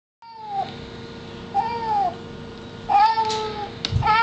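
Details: Levi, a dog, gives three drawn-out, arching cries that sound much like a cat's meow.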